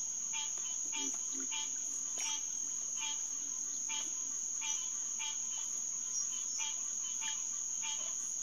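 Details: Green tree frogs (Hyla cinerea) chorusing at Headquarters Pond, SMNWR, on a June night in 2021. Bright nasal honks with rich overtones repeat roughly every half second to second, backed by a steady high-pitched insect drone.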